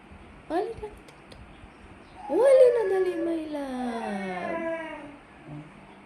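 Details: Princess, an adopted pregnant Persian cat in her first pregnancy, indoors and often asking for food, gives a short rising mew, then a long drawn meow that climbs and slowly falls over nearly three seconds while a woman talks to her in Tagalog.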